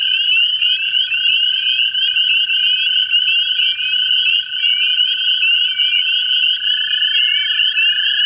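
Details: American toads seeking mates in a vernal pool in central Ohio: a steady, unbroken low trill runs throughout beneath a louder, higher chorus of short rising peeps from other frogs.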